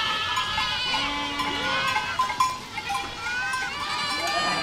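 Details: Goats moving as a flock through a village: a long low bleat followed by higher wavering cries from other animals, calls overlapping throughout against soft background noise.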